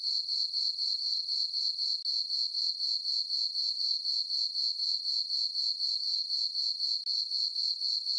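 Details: Summer-night crickets in a moonlit farm meadow give a continuous, very high, ringing trill in regular pulses of about four per second, with one brief dip in loudness and nothing else audible.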